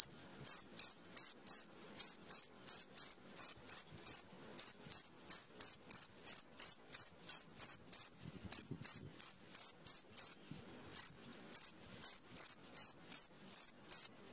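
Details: Cricket calling at midnight: shrill, high-pitched chirps repeated steadily about three times a second, with brief pauses near the eighth and eleventh seconds; otherwise a quiet night background.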